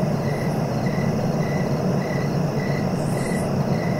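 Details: Night-style cricket ambience for sleep, a clear chirp recurring around every 0.6 seconds in an unbroken rhythm, with a brief higher buzzy burst near the end and steady low rumble beneath.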